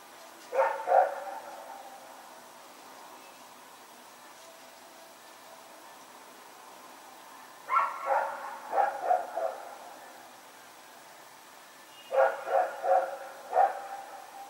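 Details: Rex, a dog roaming in the dark on 21 September 2018, barks in three clusters several seconds apart. Each cluster has a few quick, mid-pitched yapping barks. The background is otherwise quiet.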